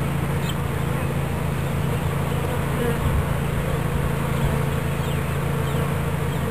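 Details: Honey bee swarm being captured into a new hive body in Watkinsville, Georgia: a dense, steady low droning hum of many bees, continuous throughout with no breaks, a few higher buzzing flybys crossing above it.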